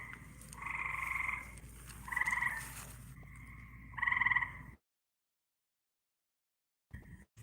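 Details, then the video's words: Two frogs, caught outdoors in Texas near a pool after weeks of daily rain, calling back and forth in loud, buzzy, two-tone trilling bursts about a second long, four in quick succession over a low hum. "I caught 2 frogs doggy style!😝That was all the racket outside!"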